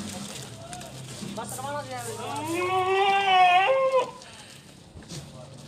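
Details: Teddy goat on a goat farm gives a single long, wavering, nasal bleat lasting nearly two seconds, rising then trembling before breaking off, with people talking around it.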